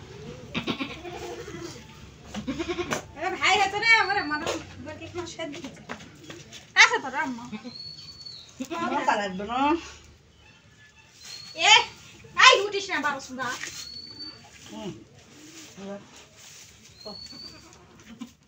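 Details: Goat giving repeated quavering bleats, several short wobbling cries spaced a few seconds apart, while people chat nearby and a thin high whistle-like tone recurs in the background.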